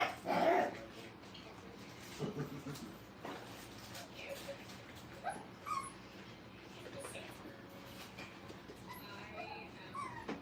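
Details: Five-week-old Brittany puppies playing at a training kennel: one sharp, high yelp near the start, then scattered soft whimpers and squeaks over steady room hiss and faint human voices.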